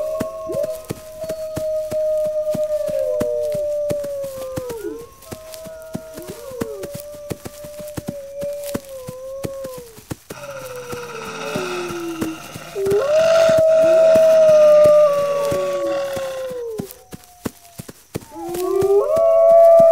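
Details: Several wolves howling in long, steady, slightly falling tones, one voice overlapping another, with a rougher, noisier howl in the middle and a rising howl near the end, over a steady patter of sharp clicks.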